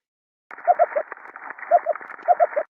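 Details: An Ambon damselfish on a coral reef, recorded by hydrophone, makes short knocking pulses in quick bunches of two or three over the crackle of snapping shrimp.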